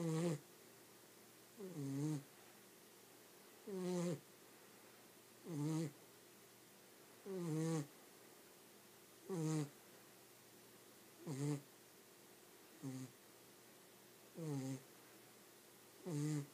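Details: Pet dog asleep and snoring continuously: eleven low, vibrating snores repeated about every one and a half seconds, each with a slight downward bend and a breathy hiss, in an otherwise quiet background.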